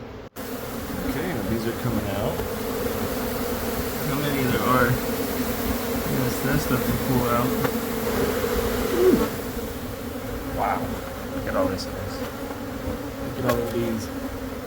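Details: Honey bees from a hive lodged for a few months inside the wall of a Catholic church building near a school in Monrovia, disturbed during removal for relocation to a beekeeper; a dense, steady droning hum with occasional clicks and faint voices.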